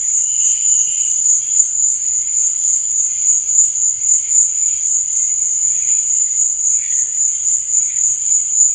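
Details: A cricket chorus at night gives a constant piercing trill with no pauses. A short lower whistle-like tone is heard near the start, and faint murmurs lie underneath.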